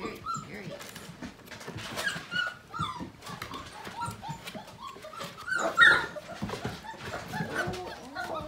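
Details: Playtime for five-week-old Portuguese Water Dog littermates on a morning: scattered overlapping squeaks and short yips rise over a rough, rustling background of tumbling puppies, with one sharper cry standing out near the middle.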